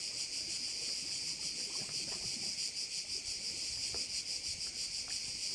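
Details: Crickets calling beside a bay on Korčula, Croatia: a dense, unbroken shrill chorus high in pitch, throbbing about three times a second, with scattered faint low rustles beneath.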